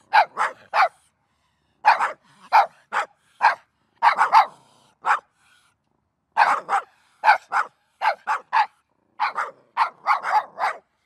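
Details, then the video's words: Dog barking rapidly in bursts of two to four quick barks, with short pauses between groups, on a silent background. "Szczekanie psa"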